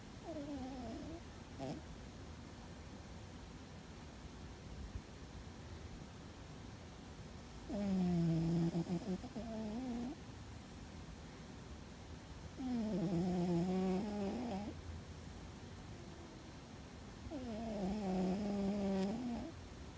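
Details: Sleeping pet cat Fuzzy produces loud, resonant snores: three wavering, droning breaths, each about two seconds long, spaced roughly five seconds apart, with a low hum in the quiet gaps.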